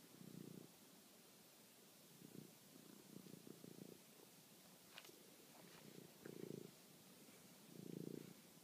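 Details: Pet cat at night, chasing and killing a mouse, filmed on a phone: soft, low rumbling purr in short pulses roughly every one to two seconds, with a few faint clicks and rustles between.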